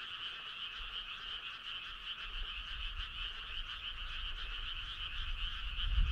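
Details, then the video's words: Frogs calling together on a midsummer night, a continuous pulsing, two-toned trill held at even strength for the whole stretch, with only faint low rumble underneath. "Cool frog sound"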